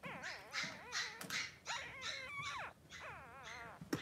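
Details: Newborn Cavalier King Charles Spaniel puppies, Blenheim boys three days old, in a whelping pen with their mother Pom-Pom: rapid run of wavering, high squealing whimpers, many short cries in quick succession with a few knocks.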